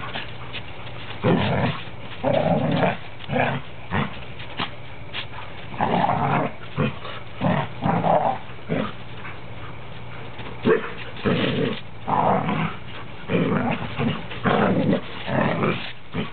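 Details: Three standard poodles, a parti, a black and a cream one, playing together indoors; repeated rough low growls and grumbles in bursts roughly every second, with short yips, with the cream dog sounding like a grizzly bear.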